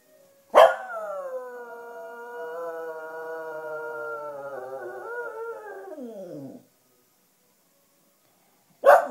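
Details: A black female Cocker Spaniel, howling along to wind instruments and seeming a bit tired, gives a long, steady, tonal howl that slides downward at the end.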